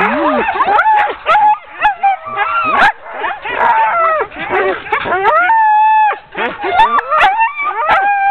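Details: Excited sled dogs from a ten-dog team during hook-up before a training run, October 2010: rapid strings of yips and barks, bending whines, and one steady held whine near the end amid the overlapping chorus.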